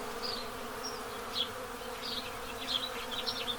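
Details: Honey bees at their hive in Pennsylvania, during the total solar eclipse of April 8, 2024, hum in a low, steady, even drone while house sparrows chirp in short bright bursts in the background.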